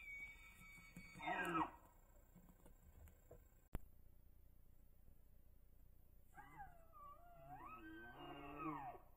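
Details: Bull elk bugling during the rut on public land in Idaho, captured by a Tactacam Reveal X 3.0 cellular trail camera: a short harmonic burst, then a long wavering, high whistled call that rises and falls, over low background hiss.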